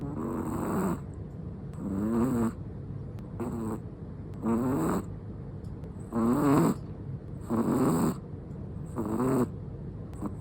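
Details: Black and tan Chihuahua fast asleep, letting out steady buzzy snores, each a rasping wavering burst about every one and a half seconds, with soft breaths between and no other sounds.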